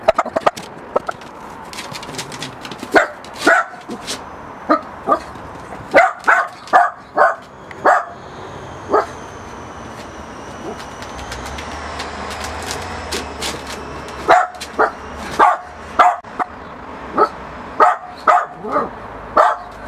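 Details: A Miniature Pinscher dog barks at a balloon it wants gone. Sharp yapping barks repeat through the recording, sometimes in quick runs of three or four, over a faint background hiss.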